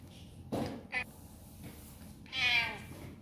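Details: A domestic cat meows insistently, a brief chirp followed by a longer, drawn-out plea, the sound it makes when wanting something, here asking to be let out through the door.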